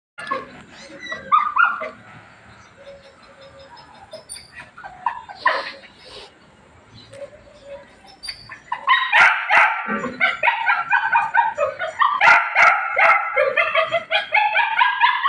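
A puppy gives high, squeaky whimpers and yips, growing busier and louder toward the end.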